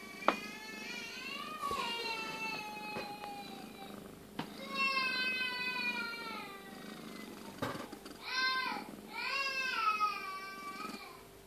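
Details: Tabby cat in labour with her second kitten, indoors; a run of loud, rich, harmonic meows, some long and falling, others short and arched, come in quick succession with a few clicks between.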